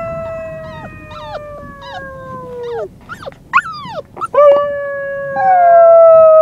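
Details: A white female Siberian Husky puppy on the day she was brought home howls in long, wavering tones broken by short yips and squeaky whines.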